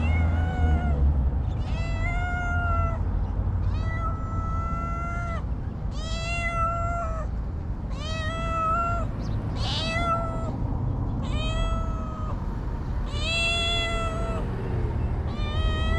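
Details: Homeless stray cats in Ras Al Khaimah, United Arab Emirates; loud, insistent harmonic meows repeated roughly every one to two seconds, steady and level in pitch, with a strong low rumble of wind or traffic underneath.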